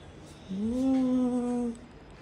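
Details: Jack, a pet cat being coaxed to sit in a swing, lets out one long, steady, tonal meow lasting just over a second, slightly rising at the onset and then level, over a quiet room background.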